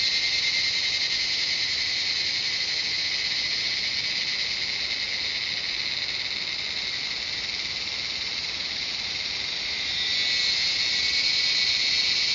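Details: Cicadas in the jungle of Shivapuri Nagarjun National Park, north of Kathmandu, Nepal, fill the air with a continuous, shrill, high-pitched buzzing drone.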